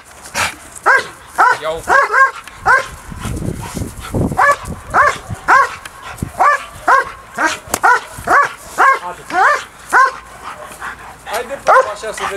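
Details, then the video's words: Early bite work with DDR German Shepherd Briska, taught to watch the agitator instead of the sleeve; rapid, insistent barks, roughly two per second, with a brief pause and faint voices in the background. "DDR German Shepherd Briska early bite session"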